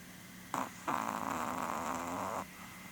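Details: Sleeping female Chihuahua Porun, close to 12 years old: a short snort followed by one long, rough, rattling snore lasting about a second and a half, then quiet.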